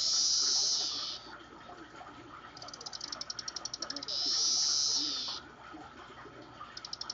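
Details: Captive periodical cicadas (Magicicada tredecassini) in a cage chorus synchronously with long, hissing high buzzes broken by runs of rapid ticking pulses, calling in response to a playback of their own recording.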